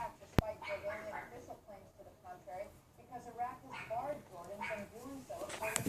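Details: Neighbour's Pomeranian dog, unseen behind a wooden privacy fence right outside a bedroom window, yapping on a windy afternoon, 6 February 2015 about 3:18 PM; a run of short, high, harmonic yaps at uneven intervals over steady wind noise.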